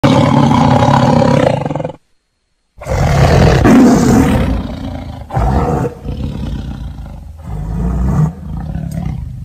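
A tiger roars in deep, rumbling bursts, broken by a brief silence.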